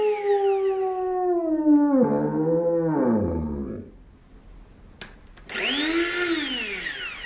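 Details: German Shepherd howling as a funny reaction: a long wavering howl that slides downward and breaks into lower tones, a short pause with a sharp click, then a second rising-and-falling howl.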